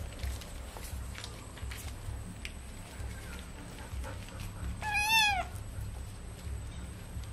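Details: Kitten being bathed with baby shampoo gives a single clear meow at about five seconds, rising then falling, against a steady low background hum.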